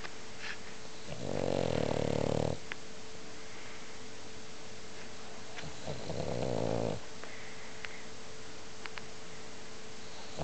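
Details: French Bulldog snoring loudly indoors: two long, rough, rasping snores, each lasting over a second, about four seconds apart, with quiet breathing between and a faint steady hum behind.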